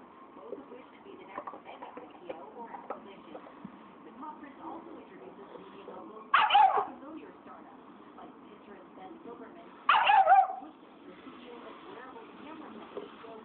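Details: A black phase wolf hybrid, mad at a large Saint Bernard that stole its bone, lets out two short, harsh, wavering cries about three and a half seconds apart amid steady low background voices and movement.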